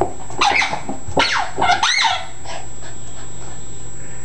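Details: In a small room, Chalupa, a Yorkshire Terrier-Chihuahua mix worked up by a squeak ball, gives a few sharp, high yips and a brief rising-falling whine, then goes quiet.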